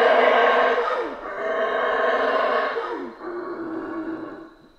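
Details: Howler monkeys in a Central American rainforest give deep, rasping roars that swell and fade in long, continuous waves.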